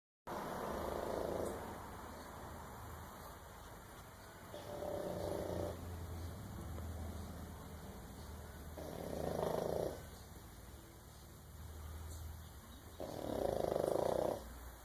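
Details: A sleeping French Bulldog snores softly: low, breathy rasping bursts roughly every four seconds, each lasting about a second, separated by quiet steady breathing and faint background hiss.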